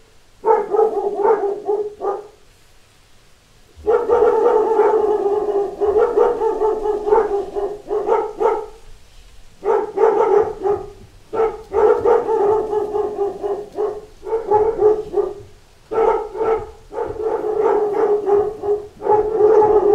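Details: Dogs in a pack barking at door knocks, with a near-continuous chorus of loud, overlapping barks broken by a couple of brief lulls and a faint low rumble in the background.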